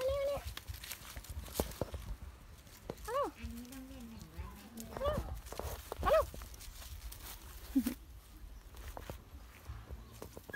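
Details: A Shih Tzu-Poodle puppy from a litter of seven born 7 September 2019 gives short, high, rising whines between bits of human speech.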